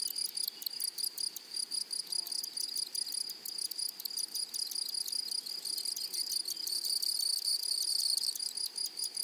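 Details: Grasshoppers in a flowering meadow produce an unbroken, high, ringing buzz of quick pulses, with one caller growing louder and sharper during the last few seconds.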